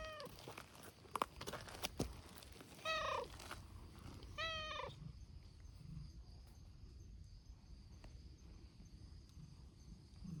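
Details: Community cats at a noisy gathering in Japan, looked after by volunteers: two clear, drawn-out falling meows with a few shorter calls, amid rustling, clicks and low background noise.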